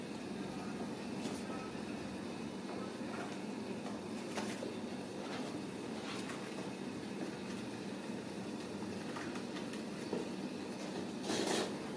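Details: Steady rumbling noise like a passing train fills the recording, broken by occasional clicks and knocks, and no animal calls can be picked out.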